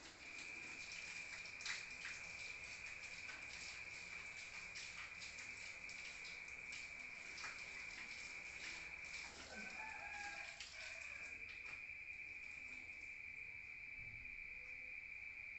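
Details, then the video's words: Crickets at night in the countryside, heard from outside: a steady, unbroken high-pitched trill holds throughout, overlaid by scattered sharp clicks and knocks and a brief lower rustling sound near the middle. "Rural Nature Sound of crickets at night heard from outside"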